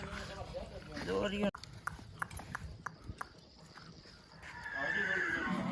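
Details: Jumping Marwari horse at Mahakali Ashram, Line ni Vachheri: a short wavering whinny at the start, then a run of sharp hoof clops, with men shouting encouragement around it.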